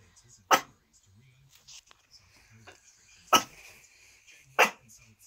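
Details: Miniature Schnauzer puppy barking at nothing: three sharp, high barks at irregular intervals, separated by quiet stretches with faint rustling and soft speech.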